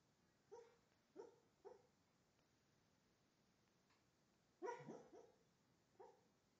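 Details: Keeshond dreaming, probably of running in the park the day before, then waking up indoors; soft, muffled woofs and whimpers, about seven short puffs, with a louder double burst near the end in a quiet room.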